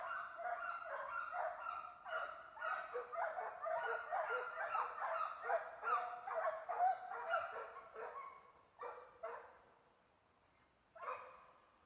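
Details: Hunting hounds chasing agoutis (guatusas) bay in quick, overlapping, ringing barks forming an excited chorus, then thin out to a few isolated barks.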